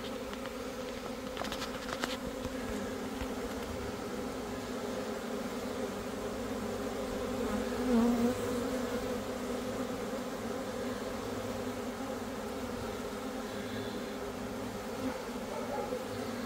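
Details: Swarming Italian honey bees: a continuous dense low hum of many wings, steady throughout with slight swells in loudness around the middle and faint ticking noises near the beginning.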